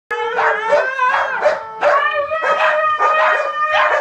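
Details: Three dogs, including a white Husky, howl together as if competing: long, wavering, overlapping tones that rise and fall.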